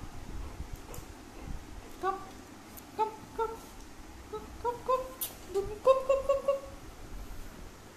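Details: Zoey, a pet Labrador Retriever indoors, gives a run of short, tonal whining yelps that climb and fall, growing denser and louder toward the end, with a woman's voice calling to her and a few sharp clicks nearby.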